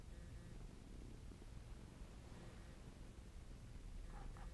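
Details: Bob the cat purring while kneading, 'making muffins'; a low, steady rumbling purr runs throughout at close range, with faint rustling near the end.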